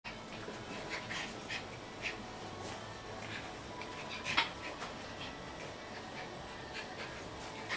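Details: Two Schipperke dogs, Alex and his brother Harry, at play: soft, breathy panting puffs come in faint, uneven bursts, with a few slightly sharper sniffs or huffs standing out against a quiet indoor background.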